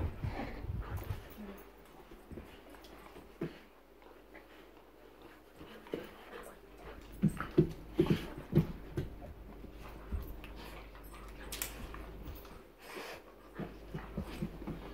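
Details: Bull terriers, a pair kept as pets, give short irregular snuffles and soft grunting breaths, with louder bursts clustered mid-way, over a low background hum and occasional human voice.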